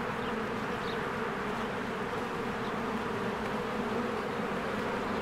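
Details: Honeybees busy at their hive in spring, flying in and out: a steady, rich droning buzz with little change in loudness and a couple of faint high chirps.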